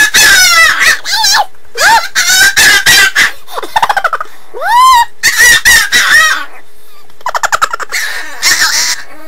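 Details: A pet dog's habitual funny sound, made instead of barking: quick series of short, yelping tonal notes and upward-arching cries, with rapid stuttering pulses in between, delivered in choppy bursts over about nine seconds.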